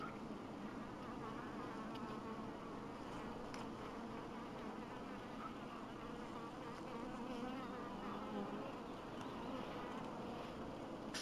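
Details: Honey bees at an apiary in 2012, a dense, steady buzzing hum filling the whole recording without pause, with no other clear sounds.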